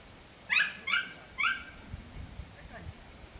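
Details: Podenco Andaluz, dated 3 December 2011: three loud, sharp yelps bending up then down come in quick succession within a second, followed by faint rustling and softer distant yelps.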